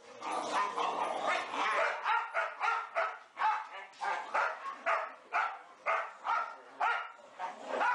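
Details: Four Boxer dogs, Elsie, Gertrude, Bowling and Cierra, playing together indoors in a play room: a dense run of rough, harmonic barks and grumbling yips, pulsing about twice a second with overlapping voices.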